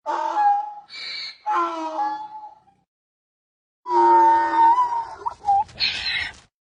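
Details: A donkey brays in harsh, rasping bursts, alternating higher wheezy notes with lower drawn-out groans.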